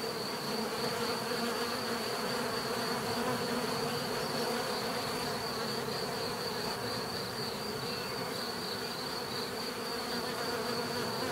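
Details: Bees heard in a natural setting, a dense steady buzzing hum with layered low droning tones and a thin high whine running throughout, no breaks or other voices.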